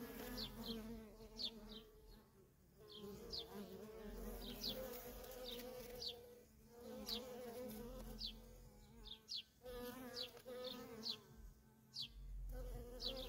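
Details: Steady hum of worker honey bees coming and going at a feral colony, sometimes dipping briefly, with frequent high, quick descending bird chirps sounding over it throughout.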